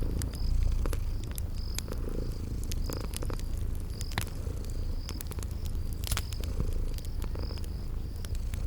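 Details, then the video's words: Drowsy kitties asleep by a crackling fireplace give a soft, deep, unbroken purr, accompanied by sharp wood pops and faint high cricket chirps from a spring garden. "Relax with Cute Sleeping Purring Kitties by a Crackling Fireplace"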